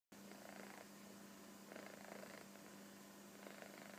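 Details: Koro, a kitten sleeping comfortably on a sofa, snores softly. Breathy, raspy bursts come with each breath, roughly every one to two seconds, over a steady low electrical hum.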